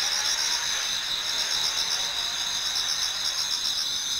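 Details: Toward dawn in autumn, numerous insects sing in a Japanese garden: several bright, high, sustained trills stacked at different pitches, beating rapidly and evenly without pause.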